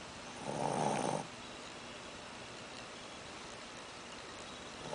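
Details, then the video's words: Shih Tzu puppy snoring after eating too much, indoors: a single rough, breathy snore lasting under a second, then quiet room noise. "shih tzu snoring"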